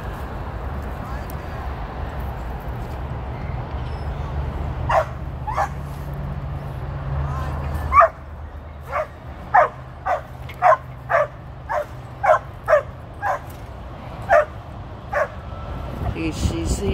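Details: Female Border Collie on her 13th birthday, on her first run with sheep while herding, gives about a dozen sharp barks in a rapid irregular series over the second half, after quieter outdoor noise and a man's voice.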